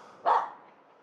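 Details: Finnish Spitz female in a local forest on New Year's Eve morning, barking at a squirrel hidden high in a pine; one short sharp bark after a quiet moment.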